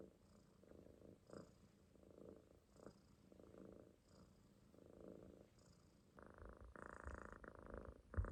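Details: Relaxed Munchkin kitten asleep in a loaf on the owner's stomach, faint low rumbling snores in slow cycles that swell into louder, harsher breaths near the end.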